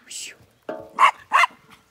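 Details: Inca, a female sheepdog on a County Kilkenny farm in Ireland, makes noise while helping move Zwartbles ewes and lambs at their last breakfast together before weaning; two sharp barks after a brief spoken word.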